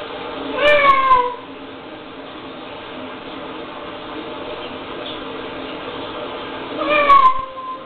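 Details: A pet cat's loud screeching meows, two drawn-out wavering cries about six seconds apart, reacting to a recording of her own screams; quiet room hum between the calls.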